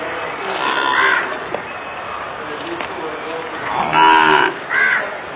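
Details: Sahiwal calves at a farm before Eid ul Adha 2019: softer distant lowing first, then one loud, nasal moo near the end followed quickly by a shorter second call, with murmuring voices behind.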